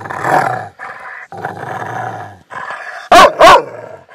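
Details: A female Rottweiler growls low and rough in broken stretches, then gives two sharp, loud barks, acting tough to impress her owner; otherwise she is extremely kind.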